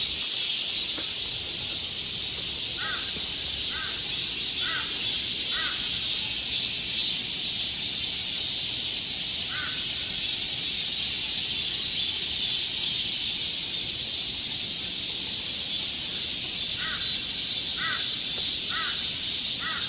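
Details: Cicada chorus in the woods of Galsan Park, Seoul, in midsummer: a continuous high shrill buzz fills the air while a crow gives short caws in groups of three or four.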